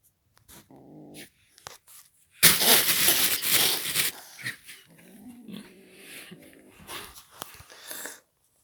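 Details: A Belgian kitten growling at the camera gives a short low growl, then loud broad rustling noise, followed by a quieter rough growl mixed with scratchy handling sounds.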